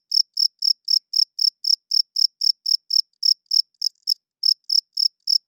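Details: Cricket chirping loudly at night, a male calling to attract females and hold territory; steady high chirps roughly four per second, briefly broken near the end before resuming, nothing else audible.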